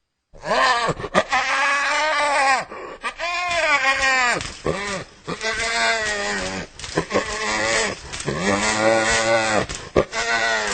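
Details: Hyena uttering a rapid series of strongly harmonic, arched cries, each rising then dropping in pitch, repeated almost without pause in a bleating, giggling chatter.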